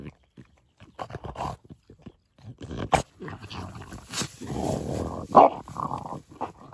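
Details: French Bulldog having his teeth brushed gives short rough grunts and snorts, then a longer low rasping grumble near the middle, with scraping and handling noises between the bursts.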